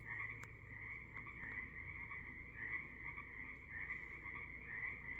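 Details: Evening frog chorus from the Sunshine Coast in Canada: many frogs trill together in a continuous high buzzing band that swells and fades in uneven pulses, with one sharp click near the start.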